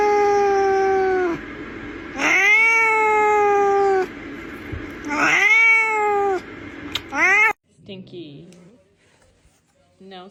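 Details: Domestic cat in a room crying with repeated loud, drawn-out meows that rise sharply then slowly fall, about four in a row, followed by softer scattered sounds and quiet.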